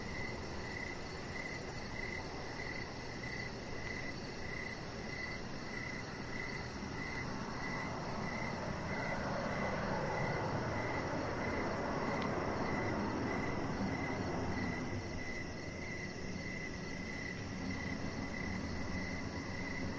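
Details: Crickets chirping outdoors in the evening beside a deck, a steady series of rapid high chirps repeating several times per second, under a broad low rumble that swells in the middle like a passing vehicle or aircraft.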